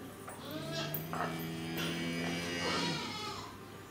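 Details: Jersey cattle at Nasu Rindoko Lake View, Tochigi, Japan, on 7 December 2018: a low, steady moo held for about two and a half seconds, overlapped by higher, shorter bleating calls from other animals nearby.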